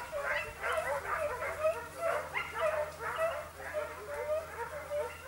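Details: Italian hound Sofiko giving tongue while chasing hare in Evros, Greece, October 2023: a steady run of sharp, bright yelps, nearly two a second, each with a short wavering tail, over faint background hum.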